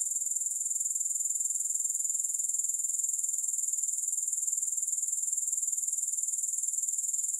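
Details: Grasshoppers in a continuous, high-pitched shimmering buzz, finely pulsed at a steady rapid rate, with no music or other sounds.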